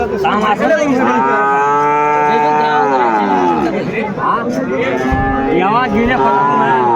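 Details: Sahiwal bull calf at a Noakhali cattle market, Bangladesh, 22 February 2025: a loud, drawn-out nasal moo holding steady for about three seconds then sliding down, followed by shorter calls, amid market chatter and background music.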